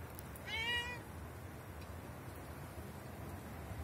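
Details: Male street cat outdoors during a snowfall: one short, clear meow that rises slightly and then drops, followed by quiet, over a steady background hiss of wind and snow.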